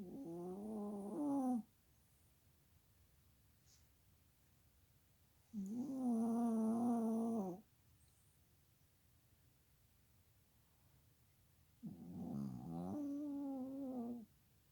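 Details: Chihuahua dog asleep, giving loud whistling, nasal snores that each last one and a half to two seconds, three breaths spaced about five to six seconds apart, with near silence between them.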